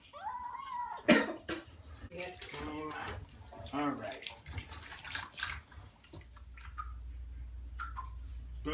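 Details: Persian kittens being given baths indoors: a kitten's rising-then-falling meow opens, followed by a person speaking over splashing water in a small room, with a few more short mews near the end.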